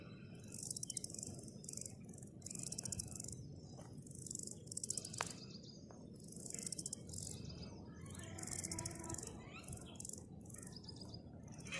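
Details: Grasshoppers calling outdoors: short bursts of dry, high rattling buzz recur every second or two throughout, over a steady low rumble, with a few faint bird chirps in the background.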